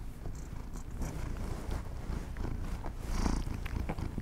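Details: House cats enjoying treats in a quiet no-talking ASMR recording; a loud, even low purr rumbles throughout, with scattered crackly clicks that grow denser toward the end.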